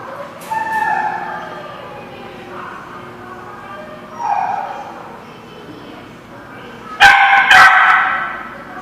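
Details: Barking dog recorded August 19, 2016, giving short tonal barks and yips spaced over several seconds, closing with two loud, harsh barks in quick succession; faint voices may sit underneath.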